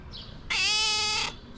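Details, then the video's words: A loving female pet cat lets out a single clear, steady meow just under a second long, rich in harmonics, over a quiet background. "Have you ever seen a cat meowing like this ?"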